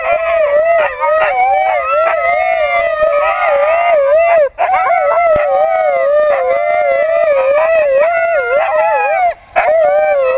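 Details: Pet Siberian Husky howling: a long, wavering tone held steady with slight warbles, continuous for about ten seconds with two brief breaths near 4.5 and 9.5 seconds, rich overtones above.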